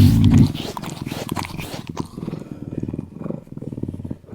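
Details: Eurasian lynx giving a low, rapid, rumbling purr-like pulsing at about three pulses per second, beginning with a louder burst and continuing in uneven throbbing waves.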